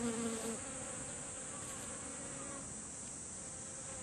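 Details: Honeybees gathered at flowering kumquat in a garden, feeding on nectar. A short, loud buzz from a bee passing close opens the clip, then a soft, steady hum continues under a high hiss.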